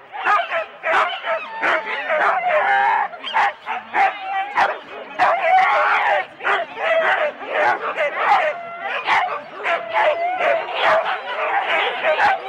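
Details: Excited Husky sled teams, four dogs each, lined up for the start at Rendlesham in January 2016 on analogue cassette: rapid sharp barks and pitched yelps from a crowd of dogs, surging and dipping, human voices audible.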